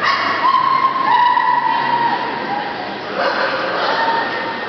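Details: Dogs and puppies at a breeding kennel give high, drawn-out whining calls that slide gently downward, followed by a short yelp, with people's voices talking in the background.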